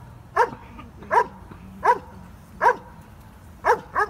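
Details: German Shepherd named Stryder barking during an IPO1 protection routine at a trial, loud sharp barks repeated about every second, six in four seconds, over a faint low hum.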